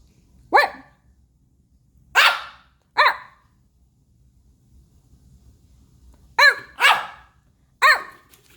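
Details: Pomeranian puppy named Baebae talking back: six sharp, high yappy barks in two bursts, three near the start and three after a pause of about three seconds, each bark short with a bright arched tone, quiet room otherwise.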